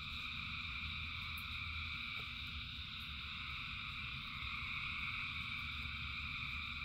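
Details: Thousands of frogs singing in rain: a dense, unbroken chorus of layered trilling tones at several pitches, steady throughout, over a low rumbling wash of rainfall.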